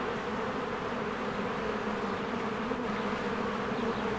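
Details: Dense, steady buzzing of many honeybees flying in and out of their hive in spring while flowers bloom; a continuous droning hum with layered low tones and no pauses.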